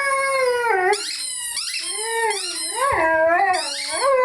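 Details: Rhodesian Ridgeback Lyle howling with his favorite toy; a continuous series of bending, warbling howls that dip and rise again, overlaid by bright squeaky tones.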